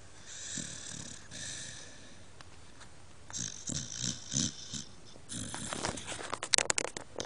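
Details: Gilbert, a dog who loves to sleep and is no longer allowed in bed for snoring too loudly, snores in rough, breathy pulses about every half second, with louder snorts and rustling toward the end.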